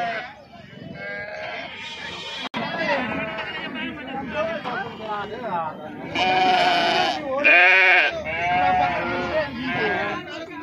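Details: Sheep bleating while being unloaded at the Pebbair sheep and goat market; a crowd of overlapping wavering bleats, several calls at once, with people talking throughout.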